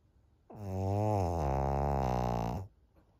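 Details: Thirteen-year-old fawn pug Maria, an elderly female dog in Japan, snores on 25 June 2023: one deep, buzzing, two-second rumble, low and throaty, starting slightly higher and settling lower before cutting off.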